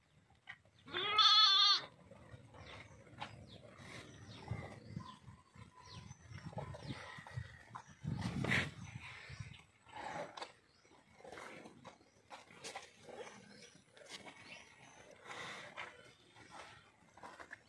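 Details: A six-month-old Kangeyam bull calf gives one short, loud, harmonic call near the start, then stays quiet while scattered rustling and clatter fill the rest of the recording.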